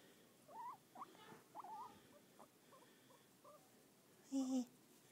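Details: A male pet guinea pig chatters in short squeaky chirps, ending with a louder, low buzzy squeal; he always makes this noise while being petted and stops when petting stops, and his owner is unsure whether he is happy or scared.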